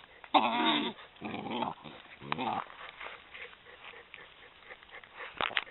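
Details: Eleven-week-old Maremma Sheepdog puppies playing with their mother in a garden, September 2012: a run of harmonic, whiny growls over the first two seconds, then a shorter growl, followed by quieter scuffling and a sharp final yelp.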